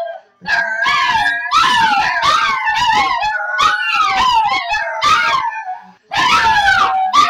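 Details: Three pet Shih Tzus howl together, singing along on cue to a sung good morning: rising and falling wavering howls layered in bursts, with brief pauses near the start and end.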